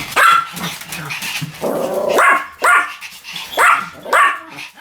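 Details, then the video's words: Pomeranian dog barking steadily, high shrill yaps roughly every half second, with a throaty whine between barks. "犬の鳴き声 ポメラニアン 1000回吠え"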